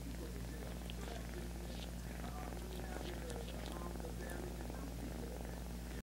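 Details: A kitten's steady purr, a soft low vibrating rumble without pause, accompanied by scattered clicks and faint background voices.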